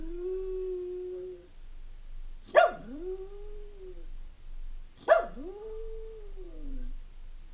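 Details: Jack Russell Terrier left alone at home for several hours; one drawn-out howl ends, then two sharp yelps each dip and rise into a sustained, slightly falling howl, roughly every two and a half seconds.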